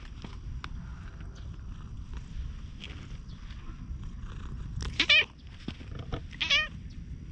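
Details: Plump stray cat walking up and talking in cat language, filmed on a GoPro; two short harmonic meows about a second and a half apart, the first louder, over low rumbling background noise and faint clicks.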